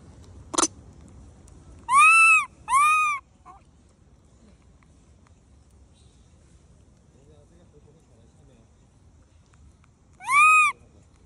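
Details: A monkey eating cake gives high, clear, arching wails, two close together and a third after a long pause; monkey.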